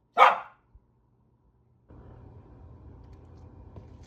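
A corgi gives one sharp, loud bark to warn off intruding cranes and geese.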